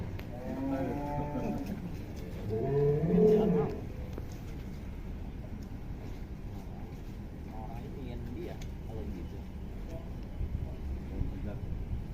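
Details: Giant fat cow linked to Atta Halilintar, filmed in 2022 while still young, gives a series of deep, harmonic moos in the first four seconds, the loudest near the end, then quieter barn noise with faint voices.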